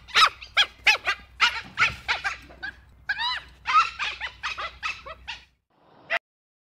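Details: Dhole (Cuon alpinus) uttering rapid, high squeals and chirping yelps, roughly fifteen within five seconds, some bending up and down in pitch, followed by a short pause and a single last squeal.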